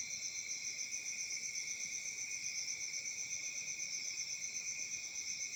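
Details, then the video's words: Crickets in Africa on a summer night, a dense shrill trill steadily throbbing about four times each second, continuous and even throughout. "Crickets Chirping sounds at Summer Night"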